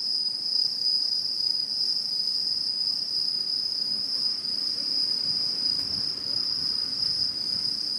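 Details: In 2016 satoyama countryside, autumn insects keep up a constant piercing trill with a faint higher overtone-like band. There is a soft low rumble of background noise beneath the steady insect drone.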